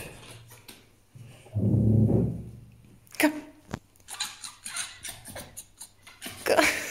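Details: Angry sounds from Djinn, a grumpy fox: a low, rumbling growl held for under a second, then a run of sharp, scratchy chattering bursts and a final loud squeal.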